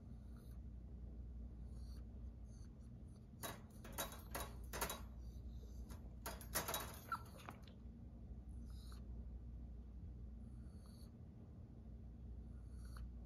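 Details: Chihuahua named Belle Belle, left at home all day, hissing and crying while upset. Clusters of short breathy hisses come in the middle, with faint thin squeaky chirps scattered throughout, over a steady low indoor rumble.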